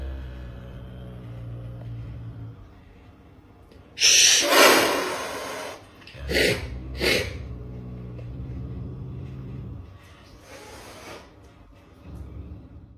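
A caracal gives a few harsh, breathy bursts, like huffs or snorts, asking to be let out.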